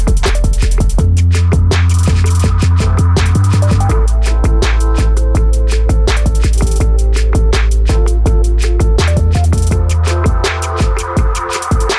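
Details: Loud electronic drum-and-bass music with heavy booming bass and fast, rapid drum hits throughout, and no animal voices.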